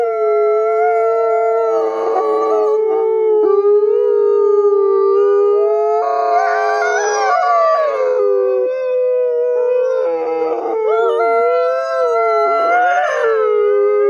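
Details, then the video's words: Gray wolves born in captivity at a conservation center in South Salem, NY, singing together to reaffirm social bonds; sustained layered howls hold steady tones while other voices rise and waver, with brief rougher bursts between. "Sometimes Wolves Sing Just to Make Music, as We Do"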